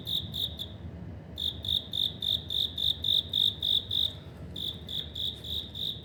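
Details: Cricket dwelling in a Tokyo apartment corridor, Suginami Ward, autumn 2025: loud, ringing high chirps in short regular pulses, stopping briefly near the start and again before the end, then resuming, over quiet low hum.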